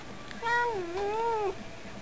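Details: Pet cat with a cute talking voice giving one drawn-out meow, rising, dipping, then swelling again before falling off, lasting about a second in a quiet room.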